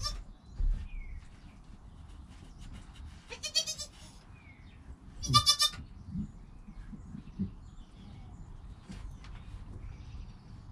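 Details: Newborn goat kid named Joel, within an hour of birth, with his calm mother Penny nearby; two short, high, wavering bleats spaced about two seconds apart over low rustling and background hum.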